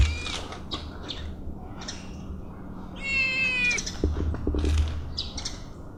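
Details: Stray kittens snatching food and then eating: short high squeaky cries scattered throughout, one drawn-out harmonic meow near the middle, over a low steady hum with clattering and chewing noises.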